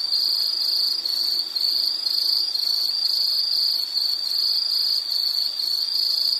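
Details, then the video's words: Insects chirp in a high, shrill trill broken into rapid, evenly spaced pulses, about three per second, with a thin steady buzz above. "Sound · Nature Sound of nature sounds scenery L · insect"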